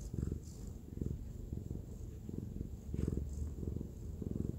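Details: Nyang, a white spayed female cat aged eight, purrs while cuddled in her owner's arms indoors; deep rhythmic purring in regular breaths, each burst under a second with short pauses, quiet room.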